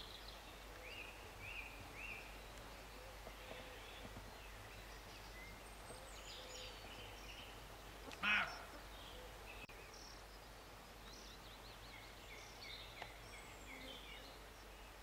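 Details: Roe deer barking in August 2012 near Morpeth, Northumberland: one short, harsh, loud bark about midway, standing out against a steady low rural hiss, with faint bird chirps scattered before and after.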